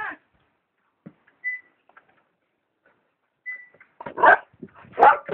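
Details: Dog barking at a kitten hidden behind a plant: near silence with a few faint clicks and soft high whines, then a burst of loud, harsh, rapid barks over the last second and a half.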